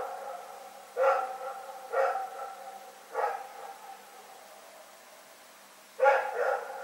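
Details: A dog barking at night in Pyrga, recorded on 27 February 2018. There are three sharp harmonic barks about a second apart, a pause of nearly three seconds, then a doubled bark against a quiet background.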